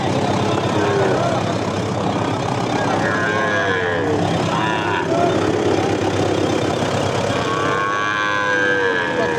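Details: Gir and Sahiwal bull calves for sale at Ambari haat, a market held Fridays and Mondays; several short harmonic moos, some rising then falling, rise over constant crowd chatter, bargaining voices and engine rumble.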